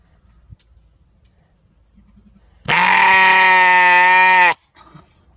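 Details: A sheep gives one long, loud, steady bleat lasting nearly two seconds, rich and buzzy with strong harmonics. The bleat stops abruptly, with faint soft rustles and taps before and after in otherwise quiet surroundings.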